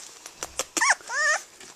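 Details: Jasmine, a 19-day-old blue merle female Australian Shepherd puppy, gives a few faint soft clicks, then two high squeaky whines, the second a wavering, drawn-out whimper lasting about half a second, indoors and quiet.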